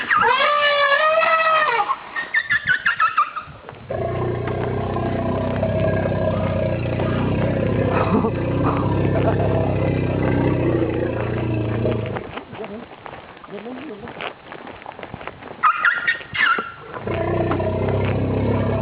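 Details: Female Asian elephant in captivity, 27 September 2012, calling loudly out of fear while heading to bathe with her step-son, calmed by her long-time mahout; high wavering trumpets open, then long low rumbling noise, later short trumpet bursts.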